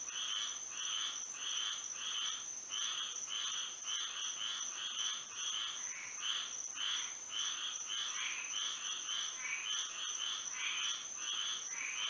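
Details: Frogs singing at night under moonlight in Florida, a dense chorus of bright rasping croaks repeating roughly twice a second, overlapping callers, with a steady high insect-like whine running underneath throughout.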